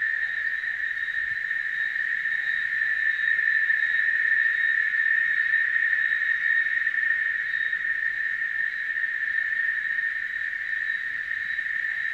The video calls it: ... CANTO DE LAS CHICHARRAS...